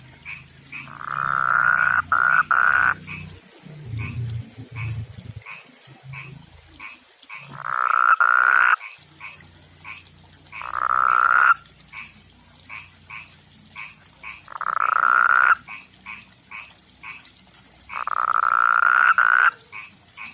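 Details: Male pond frog with rough skin calling for a female: a strong buzzy trill about every three to four seconds, with rapid short clicks from other frogs in between and a low hum early on.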